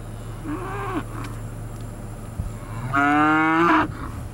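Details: Cattle at a Georgia livestock sale, with a short low moo followed by a louder, longer bellow that rises in pitch, over steady background hum.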